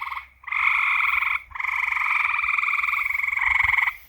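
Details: Frogs calling at night: a long, steady pulsed trill with a bright buzzing tone, broken by short pauses near the start and middle, running almost the whole time with little other sound.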